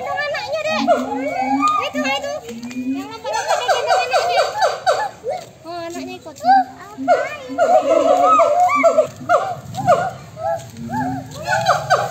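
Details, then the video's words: Several monkeys calling back and forth to each other, a noisy chorus of overlapping harmonic cries that swoop downward, packed densely and irregularly, with a lower steady tone running underneath at times. "suara monyet yang saling bersahutan"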